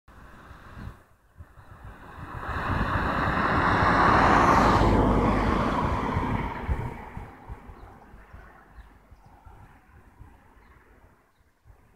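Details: A vehicle swells past, loudest around four seconds, over steady wind rumble, with no animal voice heard.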